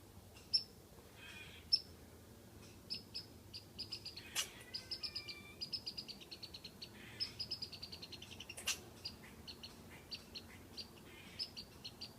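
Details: From a tree, a squirrel teases a cat with whistles: bursts of rapid high chips and short tonal whistles, with a couple of louder sharp clicks, irregularly spaced across the recording against a low outdoor hum.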